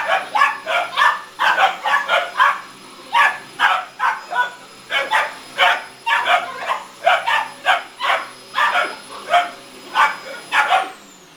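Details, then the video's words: Two 17-week-old boxer puppies barking indoors at a running vacuum cleaner: a rapid, steady run of sharp, yappy barks, about two per second, over a constant high whine from the machine. "17 wk old boxer puppies arguing with the hoover"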